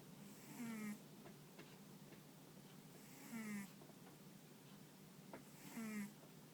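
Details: Deeply asleep, the dog Ponta snores in a quiet room, its paws and ears twitching now and then. Three buzzy, tonal snores, each under a second, come roughly every two and a half seconds.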